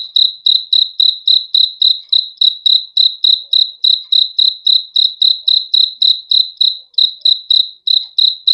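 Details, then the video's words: Cricket chirping for a good sleep: a single clean high-pitched chirp repeated steadily, about three and a half per second, with each pulse a short trill; background otherwise silent. "BEAUTIFUL SOUND OF CRICKETS"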